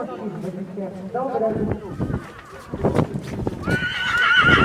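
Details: PKZ draft stallion born 2019: voices and hoof clatter first, then a loud, high, quavering whinny rising and holding in the final second.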